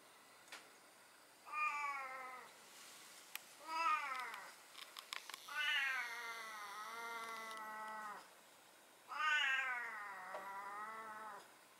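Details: Talkative black-and-white domestic cat meowing indoors. It gives four meows: two short ones that rise and fall, then two long, wavering, drawn-out meows, with faint clicks and handling noises between them.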